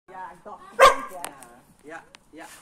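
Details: A Boerboel puppy at a dogsitter's barks at the sitter's Kuvasz, which he clearly does not like. There is one loud, abrupt bark in the middle, with human talking before and after.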